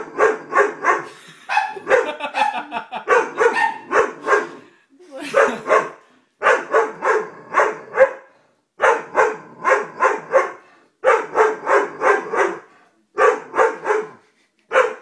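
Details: Sustained barking from a Doberman, with strong, hoarse barks in clusters of three to six separated by brief pauses. The barking continues steadily for about fifteen seconds, with some overlapping voice-like sounds near the start.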